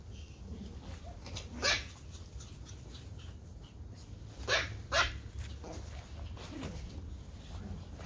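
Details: Playing Toy Pom puppies of the Pomeranian breed in a garden: three sharp, high barks, the last two in quick succession, with faint softer yelps between them.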